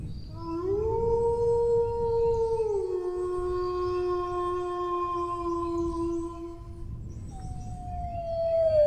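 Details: A dog's howl rises into a steady held tone, then steps down to a lower long note lasting several seconds, followed by a second higher howl starting and gliding downward; low rumbling noise underneath.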